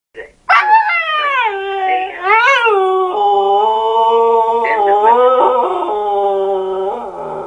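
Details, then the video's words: Pet dog howling at an answering machine: a long, wavering howl with rising and falling pitch bends at the start, then a steady, drawn-out tone held for several seconds before it drops away. "Смешной пес воет на автоответчик"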